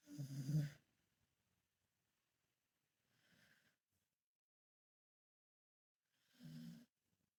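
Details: A sleeping mother dog lies on her back and snores. A deep, throaty breath opens the clip. A faint one follows near three seconds, then a fuller rumbling snore at six and a half seconds, with quiet pauses between.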